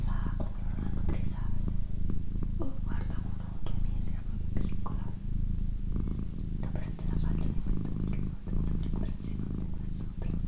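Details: Domestic female cat's low rumbling purr, recorded for ASMR alongside whispering; the purr runs steadily with brief dips between breaths about every 0.7 seconds, whispered words and light clicks drifting above it.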